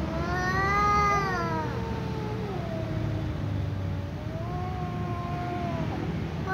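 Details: A ginger cat and a tom cat communicate by trading long, wavering meows, one bending downward before another rises and holds, over a steady low rumble throughout.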